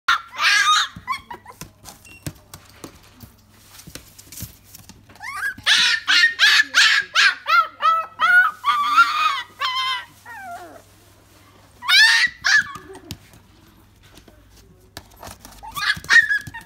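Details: Shiba Inu puppy in a pet shop in Nagano, Japan, giving high-pitched whining yelps: a quick run of about a dozen short cries mid-clip, then sliding, drawn-out whines, with a few more bursts near the end over a low indoor hum.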